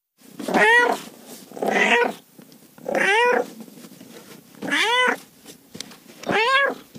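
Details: Five insistent cat meows, each a drawn-out wavering mew rising then dropping, evenly repeated about every one and a half seconds over a steady low hum and soft rustling background noise.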